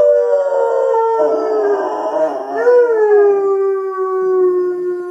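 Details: Pet Labrador joining in with loud music, producing a steady, drawn-out howl with a slight wobble in the middle. The howl then swoops up briefly before settling back into a long, gently falling tone.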